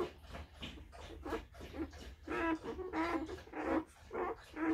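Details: Newborn Tibetan Mastiff puppies from a six-pup litter, a few hours old, making a run of short nasal whimpers, roughly two per second, some louder rising squeaks, indoors.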